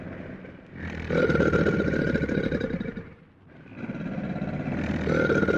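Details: American alligator giving two deep, rough, rumbling bellows of about two seconds each, separated by a short pause, with a gritty pulsing texture throughout.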